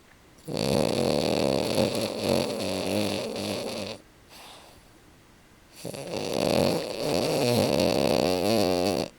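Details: Bricks, a French Bulldog napping on the couch, snoring: two long, raspy, rattling snore bouts with a quiet pause of about two seconds between them, steady and loud indoors.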